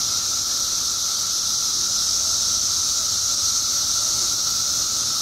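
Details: Periodical cicadas in Illinois, part of a mass emergence of billions after 17 years underground, massed in a steady unbroken drone: a loud high hissing wash with a thinner sustained whine beneath it, holding level throughout with no pauses.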